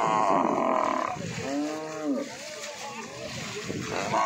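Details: Buffalo in a livestock market giving a clear, arching low moan that swells and fades over about a second. Other bellows overlap at the start and end against a background of crowd noise.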